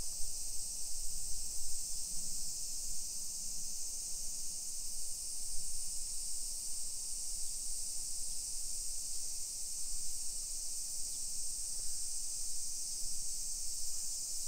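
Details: Cicadas chorus in summer at 1 PM on July 28, 2021, in suburban Nisshin, Aichi Prefecture, Japan. Their unbroken, shrill buzzing hum holds level throughout, with soft low-pitched rumbles of street and footsteps beneath it.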